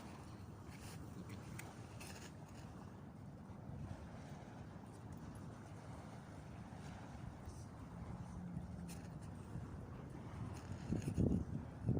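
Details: Seaside at Salmiya, Kuwait: a constant low rumble of wind and water with faint scattered taps, swelling louder in the last seconds; no animal voice.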